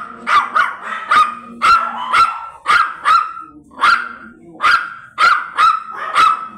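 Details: Blue Miniature Pinscher stud dog in Manaoag, Pangasinan barking steadily, with bright, sharp yaps coming in pairs and singles, about two per second, with little else heard.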